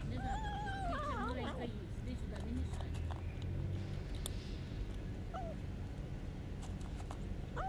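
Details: Hungry homeless street kitten meowing repeatedly while eating: a wavering, rising-and-falling meow opens, with shorter meows near the middle and end, over steady low rumbling street noise.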